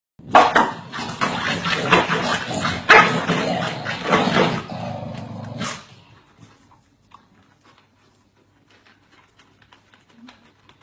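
Corgis bark rapidly and continuously in sharp, overlapping bursts, then fall quiet.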